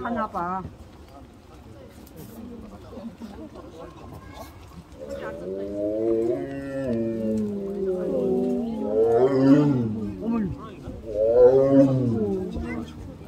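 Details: Captive tiger at Seoul Grand Park zoo, South Korea, on 18 November 2022, crying loudly while exercising; after quiet, drawn-out harmonic moaning calls repeat from midway, swelling and falling, with background music and faint human voices.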